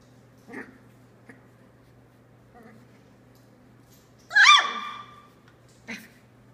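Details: One sharp, rising-then-falling squeal stands out among soft snuffles and faint squeaks from three-week-old Australian Labradoodle puppies of Tilly's litter, their eyes starting to open, indoors with a low background hum.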